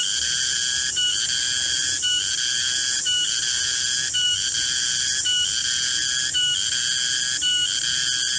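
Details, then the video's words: Garengpung cicada in a garden around midday producing an intense, tonal, ringing drone that stutters regularly about once per second in an even, pulsing rhythm. "Suara garengpung di kebun"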